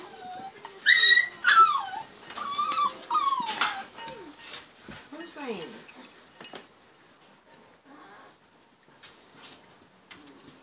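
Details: Newborn Siberian husky puppies from a litter born to Liv on March 25, 2017, giving high, wavering whimpers and sliding squeals over the first four seconds, then fading to softer, scattered whines.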